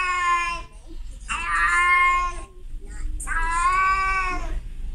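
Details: Calling to a male outside, a female cat in heat gives three long, rich, harmonic meows in quick succession, each swelling and fading, over faint low-frequency room noise.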